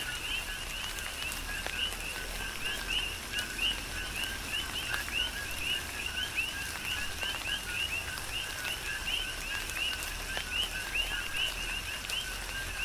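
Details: Tropical rain on the Big Island of Hawaii with a thick chorus of coqui frogs, countless brief upward-sliding chirps overlapping steadily above patter of raindrops and occasional sharp drip clicks.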